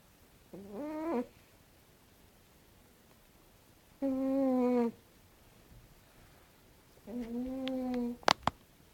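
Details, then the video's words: A dozing cat snores in drawn-out, buzzy, tonal breaths every three seconds, the last followed by a couple of sharp clicks. "Cute cat snoring"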